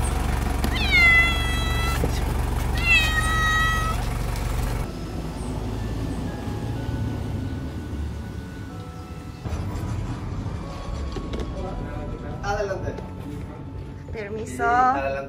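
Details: On his neutering surgery day in Paraguay, the male cat Jin meows twice in quick succession over heavy low rumble, followed by quieter mixed background sounds, tonal hums and faint, broken cries near the end.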